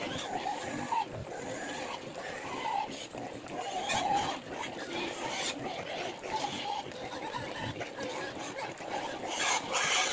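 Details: Native pigs at feeding time while their feed of bananas in water is being prepared; dense, rough grunting and snuffling runs throughout, broken by short tonal squeaks, over a steady background clatter.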